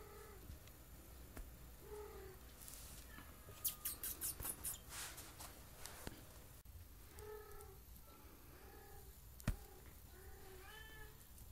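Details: A 7-week-old Maine Coon kitten gives short, thin, high mews, repeated in small bursts.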